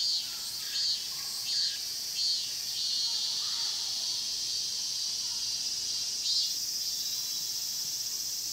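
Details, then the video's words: Cicadas singing in the Mokgye pine grove at Cheongsong, Korea, filmed on a Panasonic LUMIX GX9: a steady, shrill high drone with short louder pulses surging roughly every 0.7 seconds early on and again near the end. "청송 목계솔밭 매미소리' cicada sound"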